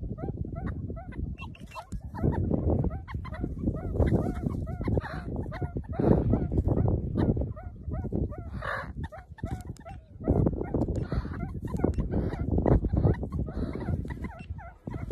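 Meerkats give a rapid series of short, bright, chirping peeps over a heavy low rumble.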